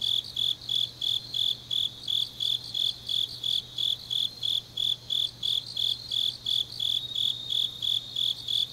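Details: Grass insects calling on an autumn night in Changnyeong, Korea, with a regular train of sharp, high, ringing chirps slightly faster than three per second, steady in loudness, over a low background hum.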